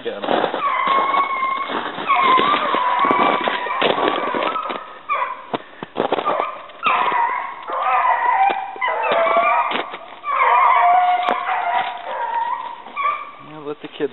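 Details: Hunting dogs, two of them, on a rabbit hunt in southern New Hampshire on 5 February 2012, giving drawn-out tonal bays and yelps that overlap and rise and fall, with a man talking nearby.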